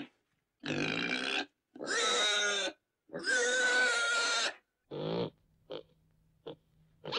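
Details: Pig squealing in three long, loud harmonic bursts of about a second each, one with a steady whistled tone, followed by short softer squeaks and grunts.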